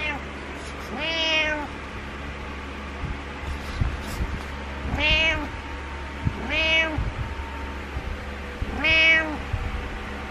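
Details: Domestic male cat giving his morning meows indoors beside a bed pillow: three drawn-out, rising-then-falling meows spaced about four seconds apart over a quiet room hum.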